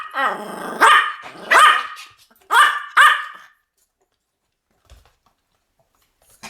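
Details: Four loud, piercing Pomeranian barks from duet barking, each a sharp ringing yap about a second apart, followed by near silence with a faint click.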